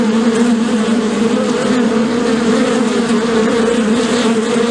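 A dense, steady hum of many bees, a low droning buzz that never breaks.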